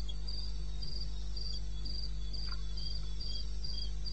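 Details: Wild cricket chirping at night, eastern Botswana, 21 May, 2:30 am. Evenly spaced high, buzzy pulses sound roughly twice per second against a persistent low hum and a couple of soft knocks.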